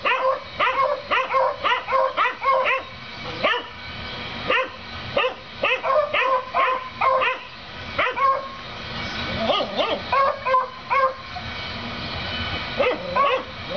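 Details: Several neighbourhood dogs bark at a rabbit next door, recorded 7 April 2014; rapid, overlapping yappy barks come in clustered bursts of three or four, with brief pauses and some higher yips between volleys.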